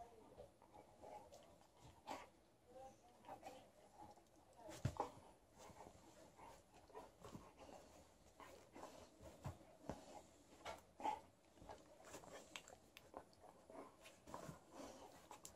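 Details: Alaskan Malamute playing in bed with a tennis ball indoors, soft rhythmic panting breaths repeating through the clip with scattered rustling and bumps from the bedding, in a small quiet room.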